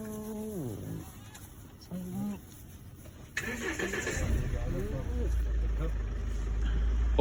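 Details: On safari in Kruger, a hyena howls: a low, falling whoop, then a shorter rising note, before a vehicle engine drowns it out.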